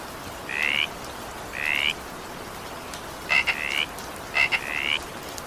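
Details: Frog croaking through evening rain: four short rising calls, the later two opened by crisp clicks, set against a soft continuous rain hiss.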